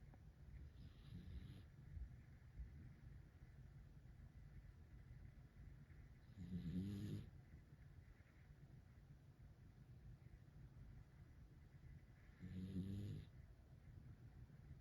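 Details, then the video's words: Sleeping dog snoring: three low, rumbling snore breaths spaced about six seconds apart, each swelling and fading, with a faint steady hiss between them and nothing else heard. "아저씨 코골이 #코고는강아지 #강아지코골이"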